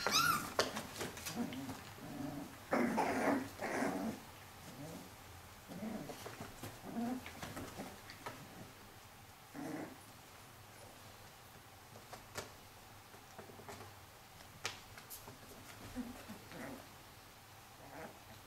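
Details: Cilène, a four-week-old Pyrenean Shepherd puppy, holds her own among her sturdier brothers. Short whimpering squeals and low growly bursts come in irregular clusters, loudest in the first four seconds, then fade into softer whines over light indoor scuffling.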